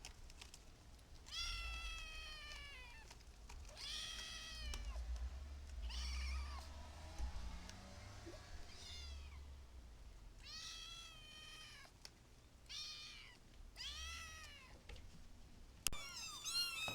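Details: A group of kittens meows again and again, each cry a bright arched wail that rises and then drops, coming in a loose series every second or two, with a faint rumble beneath.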